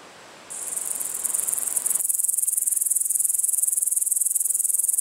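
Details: An upland green bush-cricket (Tettigonia cantans) sings a continuous, very high, finely pulsed buzzing trill; Estonia, August 2012.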